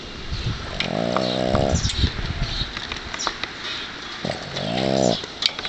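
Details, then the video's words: Loud snores from Sparky, a dog sleeping in his owner's arms after tiring himself out playing outdoors: two rattling, vibrating snores of nearly a second each, with light background handling sounds between them. "My Dog Snores When He's Sleeping"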